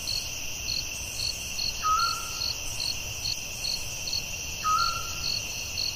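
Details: Crickets at night in the forest: a steady, high, shimmering chorus in two bands with rapid pulsing beats, and a short whistled note dropping slightly in pitch twice, about three seconds apart.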